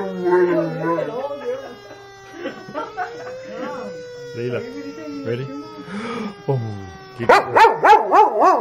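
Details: Female German Shepherd howling in response to a small siren sound: wavering, harmonic-rich howls with a pulsing vibrato, a steady siren tone running beneath, a person's voice, and louder, rapidly undulating howls at the end.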